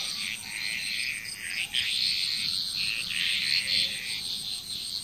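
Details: Frogs calling together in Bali, Indonesia, a continuous mass of high, rattling croaks rising and falling in waves, backed by a constant thin insect drone.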